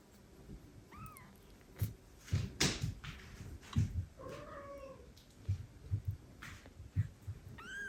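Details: Older female cat meeting foster kittens in a shared room indoors. A few short, bending meows, one rising then falling, are heard over frequent low thumps and handling noises.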